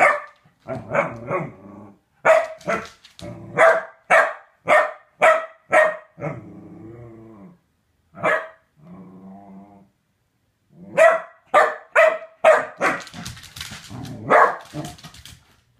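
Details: Corgi given a femur bone barks in fast bursts of sharp, harmonic barks, with a droning growl and whine midway, then another run of rapid, overlapping barks toward the end.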